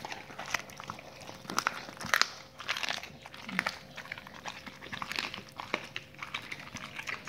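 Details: Raw-fed dogs crunching through raw meaty salmon bones and raw chicken carcasses, giving loud wet crunches and bone snaps in uneven clusters, the sharpest cracks just after two seconds, over a low background hum.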